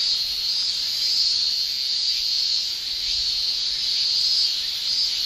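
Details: Steady high buzzing of male Japanese cicadas in summer, Japan; a dense continuous shrill with gentle waves of intensity throughout.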